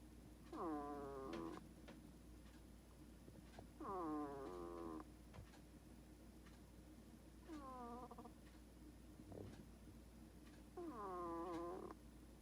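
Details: Pet hedgehog snoring in its sleep: four squeaky, nasal, whistle-like breaths about a second long, each with a slightly wavering, falling pitch, coming every three to four seconds over a steady low hum.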